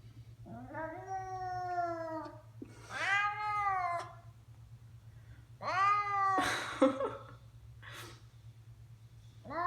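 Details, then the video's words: Pet cat making strange sounds in a room: loud, insistent meows in quick succession, some strained and breaking into harsh squeals, with brief clicks between calls and a constant low hum. "My cat makes strange noises"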